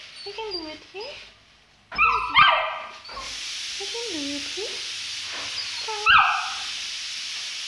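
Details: Young Saint Bernard, two months old and scared of descending stairs, gives short falling whines in small bursts. A steady hiss of background noise comes in partway through, with a few thumps and a loud yelp-like burst.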